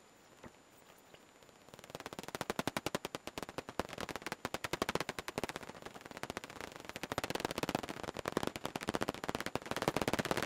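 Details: Daubenton's bats flying out of their roost on 12 June 2021. After a quiet start, a rapid train of dry, sharp clicks begins and runs almost continuously, very fast and fairly even, swelling in places.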